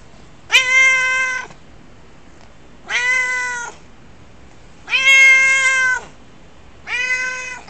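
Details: A pet cat's typical meowing: four clear, harmonic-rich meows about a second long, evenly spaced roughly every two seconds, each steady in pitch and slightly falling at the end, over quiet indoor background.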